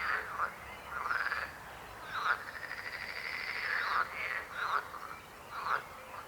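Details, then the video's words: Croaking frogs: a long rattling trill held for a couple of seconds, broken up by short, harsh, downward-slurred croaks repeated about once a second. "Rechot żab. Croaking frog sound."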